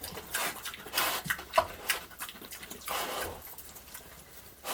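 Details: Pig snorting while eating a heap of slop. Short breathy, noisy bursts repeat rapidly and unevenly, mixed with wet chewing and a brief sharper click near the middle.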